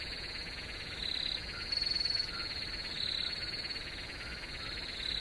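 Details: Crickets chirping densely, a shrill, rapid, buzzy trill filling the background, with louder bursts of pulsed chirps overlapping one another every second or so.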